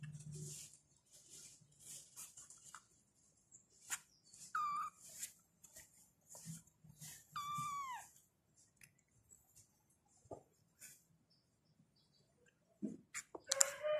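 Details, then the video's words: Kittens meowing and calling their mother: two short, high mews that slide downward, a few seconds apart, among soft rustling and faint clicks indoors. "The kittens meowed and called their mother"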